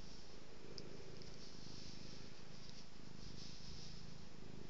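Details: Domestic cat purring while being petted and rolling about: a steady, low, rumbling purr with a fine pulsing texture that continues unbroken through the whole stretch, over a faint constant hiss of indoor room noise.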